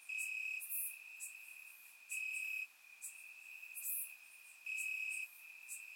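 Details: Warm summer night in Bulgaria with crickets calling from the grass; a continuous high-pitched trill swells into loud pulses about every two seconds, with short sharp ticks scattered over it.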